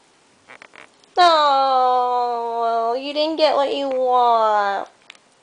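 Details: Indoor pet dog in a tantrum, refused a trip outside after hearing people; one long moaning howl lasting about three and a half seconds, steady pitch with a brief wobble partway, preceded by faint speech.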